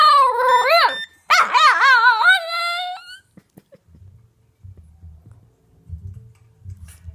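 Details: A Boston Terrier howls along with a phone, giving wavering, yodel-like howls that rise and fall in pitch, then goes quiet.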